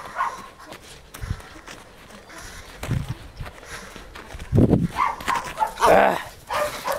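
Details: Jagdterrier barking in a short, harmonic burst near the end, after scattered low thumps and rustling. A man then praises the dog in Hungarian.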